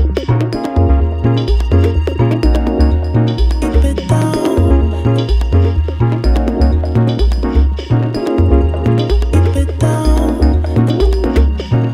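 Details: Upbeat electronic music with a bouncing synthesized bass line and steady beat plays throughout, with no animal heard.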